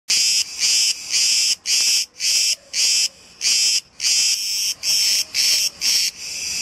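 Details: Cicadas, many of them in the trees, recorded where a pair had just finished mating; loud, harsh, high buzzing bursts pulse roughly twice a second in a steady rhythm, then merge into a swelling continuous buzz at the end.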